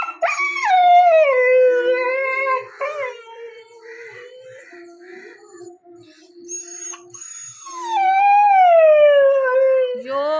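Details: Chikku, a nine-month-old puppy born on August 15, cries because his father left without him to buy meat: two long, loud, falling whine-howls, with a softer wavering stretch between them and a woman's soothing voice nearby.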